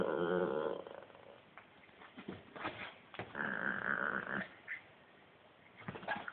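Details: Italian greyhound named Hedvig growling while playing: a harmonic, wavering growl opening the clip, then scattered snorts and clicks and a second rough, nasal growl near the middle, quieter stretches between.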